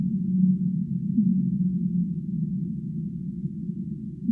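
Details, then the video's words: Humpback whale singing: low, steady tonal moans hold and waver at one pitch over a dense, band-limited underwater rumble, with no higher sounds at all. "Humpback Whale Singing"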